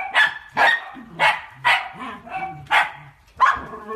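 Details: Miniature dachshund at play, giving a run of sharp, bright barks, about six in four seconds, each a short harmonic burst with brief pauses between, and a lower whine-like tone trailing under the later barks.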